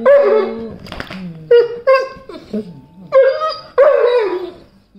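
A Weimaraner gives a run of vocal grunts and groaning whines, each burst sliding up and down in pitch. The sounds come in uneven bursts about half a second apart, with a softer murmur between them.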